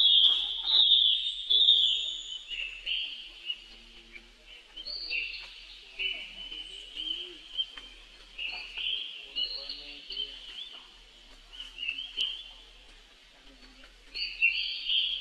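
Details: Baby monkey brother crying for help while his sister runs away very fast. Long, shrill, wavering wails repeat roughly every second or two, rising and dipping in pitch, loud at the start and close, quieter in the middle.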